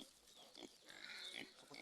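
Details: Domestic pig in a rural farm setting, the family sow having just given birth; a brief burst of high-pitched squealing rises and falls over about half a second, with faint grunts and a noisy background.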